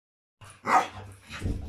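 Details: A female Staffordshire Bull Terrier, who after two years has finally found her bark and loves her new toy, gives a sharp, mid-pitched bark followed by a softer second woof.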